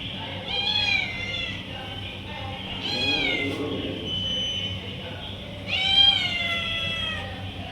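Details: Stray domestic cats answering a person calling them to food; three loud, whiny meows a few seconds apart, each starting high and sliding downward, over a constant low hum.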